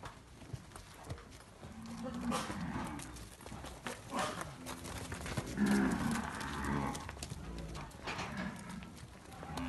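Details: Nelore calves on a farm in Amaralina, Goiás, Brazil, progeny of a named sire, lowing: several overlapping low moos near the middle, with scattered knocks and clatter of animals moving around them.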